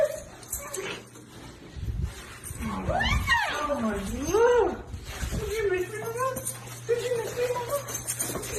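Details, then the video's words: Siberian Husky greeting its owner who has come home, giving drawn-out whining howls that swoop up and fall in arched, harmonic-rich sweeps, with a steady low indoor hum behind. "Omg! The Best 🤗WELCOME ever|| Husky Dog||"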